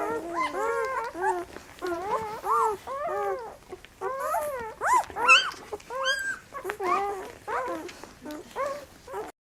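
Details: Several puppies whining while being fed, a chorus of arching, wavering squeals and whimpers in quick bursts, with short pauses between groups and a faint voice indoors.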